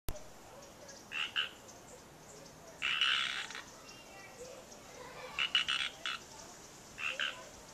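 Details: Wild frogs calling at Natural Bridges State Park, Santa Cruz, California, USA: short raspy croaks in brief bursts, some doubled, spaced one to two seconds apart against a quiet background hiss.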